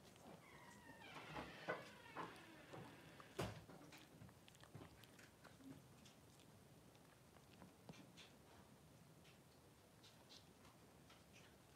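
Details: Newborn Cavalier King Charles Spaniel puppies, Blenheim boys aged three days, in a pen with their mother Pom-Pom. A few short, thin whines come near the start, followed by soft rustling and bumps in a quiet room.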